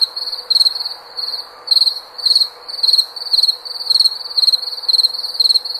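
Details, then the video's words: Repeated high-pitched cricket chirps, short pulsed bursts alternating stronger and weaker, coming about twice a second against a soft continuous hum. "SOM DE GRILO"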